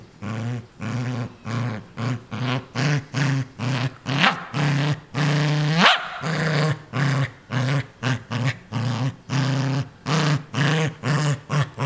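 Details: Ninja, a pet dog, possessively guarding a new toy: rapid run of low growls pulsing about twice a second, swelling into a longer snarling growl near the middle before the pulsed rumble resumes.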